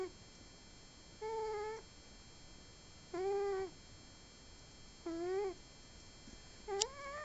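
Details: Booboo, a pet cat, snores in a small quiet room: three even, harmonic, nasal-sounding tones about half a second each, spaced around two seconds apart, the last one rising slightly, with a brief click.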